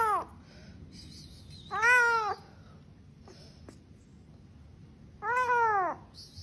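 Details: Indoor house cat uttering two drawn-out, arched meows about three seconds apart, each strongly harmonic, with faint speech and household sounds in the background.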